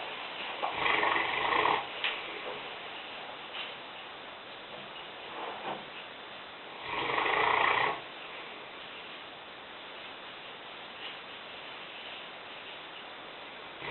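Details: Lena, a five-year-old female Newfoundland weighing 150 pounds, snores while asleep in the kitchen: two loud, rasping, broadband snores about six seconds apart, with quiet indoor hum between breaths.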